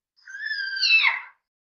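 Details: Tiger with cubs: a single high, tonal whining cry about one second long. It holds level, then bends downward and breaks into a rougher ending.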